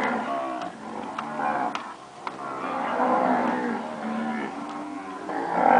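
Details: Recently calved purebred Nelore cows lowing steadily, a long rolling moo in the middle and another rising at the end, with a few sharp clicks or knocks early on.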